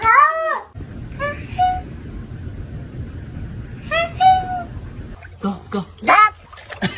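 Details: Domestic cat giving a few drawn-out, tonal meows: a loud arching one first, then shorter calls with a falling tone spaced a few seconds apart, over a steady rushing hiss, with brief bursts of other noise at the end.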